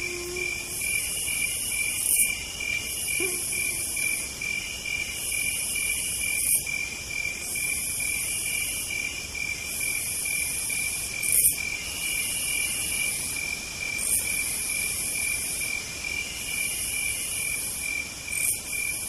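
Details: Cicada song on a southern night: continuous high trilling bands with a sizzling upper buzz repeating in phrases a second or two long, separated by short gaps, and occasional faint low tones.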